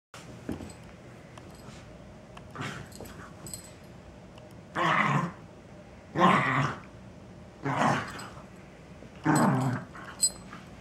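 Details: Rescue Wire Fox Terrier indoors, excited after finding another dog's hidden chew in its bed: four rough, broadband growling bursts about every one and a half seconds, each lasting roughly half a second, with fainter snuffling sounds before them in a small room.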